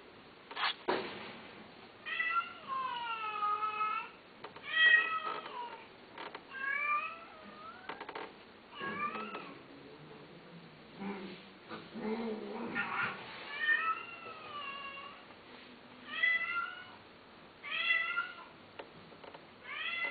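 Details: Domestic cat meowing repeatedly, a long run of clear, tonal calls, each arching up then sliding down, some drawn out and others short, coming in bursts every second or two with brief quiet gaps between.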